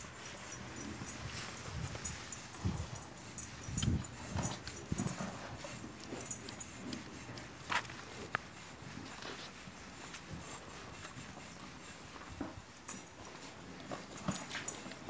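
A newborn calf suckles hard, with wet smacking sucks and dull thumps as it butts the udder.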